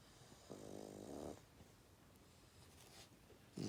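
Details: Sleeping pet dog snores; one drawn-out rumbling breath of almost a second, a quiet pause, then the start of another snore at the end.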